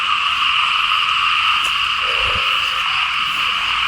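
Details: Frogs calling loudly in Lao rice paddies as rain falls, a constant high, trilling chorus in two tight layers, with a brief low thump of handling noise midway.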